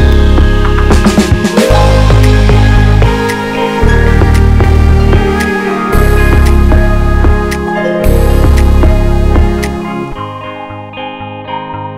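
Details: Loud electronic background music with heavy bass pulses and chiming notes, fading near the end, with no puppy sounds.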